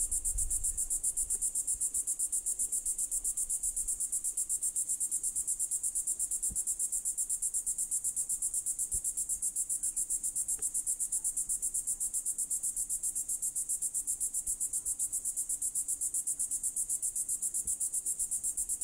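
A cicada gives a high, steady, shimmering buzz that pulses rapidly and never lets up.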